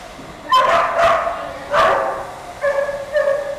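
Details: Rescued greyhound from the Macau Canidrome, described as calm and affectionate, giving two loud hoarse barks followed by two softer, higher, drawn-out whining calls.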